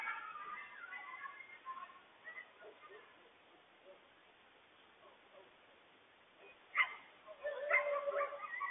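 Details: Coyotes calling to warn their family of a big stray dog on the loose; faint wavering yips at the start, a long quiet stretch, then two sharp loud yelps and a rising quavering cry near the end.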